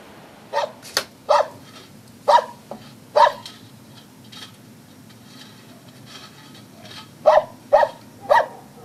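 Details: A Jämthund elkhound barks in short, sharp, loud bursts, coming in uneven runs with pauses between, while dribbling.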